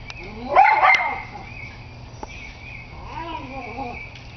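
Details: Schnauzer named Sonya facing off against a squirrel: a sharp, loud bark burst lands in the first second, then softer, wavering tonal sounds follow at lower volume against a steady low hum.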